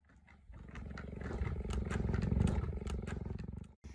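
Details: A tame female cheetah purring while being affectionate with a woman indoors; a steady, deep, rumbling pulse of about four beats per second swells louder toward the middle, then stops abruptly.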